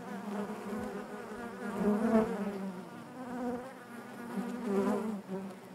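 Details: Hive interior with honey bees producing a thick, low drone, rising in intensity around the middle and again near the end as bees fly close.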